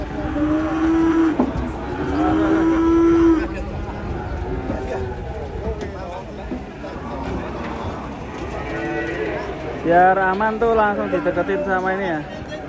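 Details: Cows getting down from a truck give repeated long moos, some flat and held, others bending in pitch, with a final burst of loud, wavering calls and faint human voices and vehicle noise.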